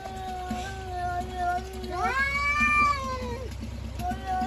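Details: Cats yelling at each other in a fight; a long, drawn-out, wavering yowl with rich harmonics, rising into a louder wail midway then sliding down, steady low hum underneath.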